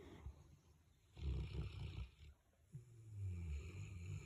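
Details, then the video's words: Big Boerboel dogs sleeping and snoring together, low rumbling snores in slow irregular breaths, each drawn-out rasp lasting about a second with quiet pauses between. "Big Boerboel’s Snoring"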